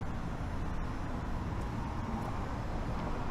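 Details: Steady low rumble of urban road traffic outdoors, continuous and even, with no animal call audible.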